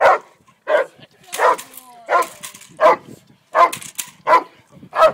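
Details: Haus, a Cane Corso, barks at a three-day French Ring training seminar in Montreal: eight deep, loud barks come in a steady run, each a short burst, with quiet pauses between.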